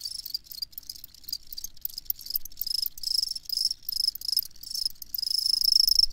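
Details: High, shrill cricket chirps in quick pulsed bursts, close to four a second, swelling into louder clusters with short quiet gaps between them, over a nearly silent background.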